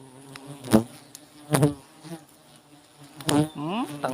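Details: Honey bees during a honey harvest: a steady low buzzing hum runs throughout, interrupted by loud bursts of men talking near the hive.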